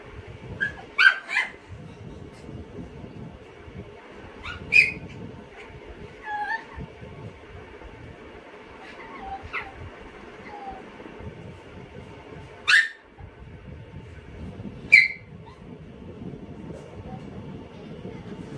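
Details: Chihuahua trying to snatch a potato finger from another dog; short, high yips and whimpers come at scattered intervals over a low steady background hum.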